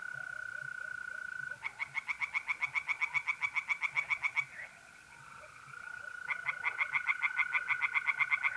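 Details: Pond tree frogs on a mid-April night in north-east Italy give two bursts of quick, rhythmic pulsed croaks, about three seconds each, with a pause between. A continuous even trill from mole crickets fills the gaps.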